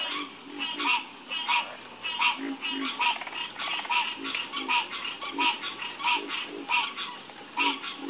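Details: Chorus of frogs calling at night: clipped nasal croaks pulsing about once a second, mixed with deeper short grunts and a continuous high shimmering hiss behind them.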